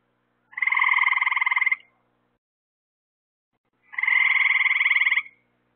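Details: Frog calling at night near lights set up to attract bugs: two loud, evenly pulsed buzzing trills, each over a second long, separated by about two seconds of silence.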